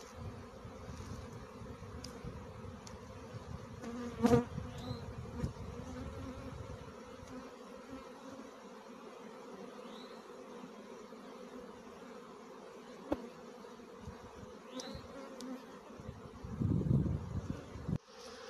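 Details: Honey bee swarm settling in a tree during a swarm catch: soft, even humming drone at low and mid pitch, occasional brief bird chirps and a few louder knocks and rustles.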